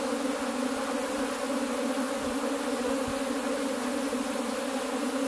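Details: Honey bees kept in cultivation give a steady, dense hum with bands near 250 and 550, unbroken across all five seconds, plus faint low knocks.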